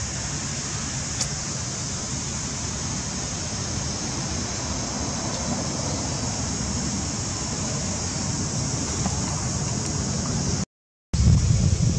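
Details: Steady low rumbling wind or traffic noise with a broad hiss, broken by a brief dropout near the end; no animal calls are heard.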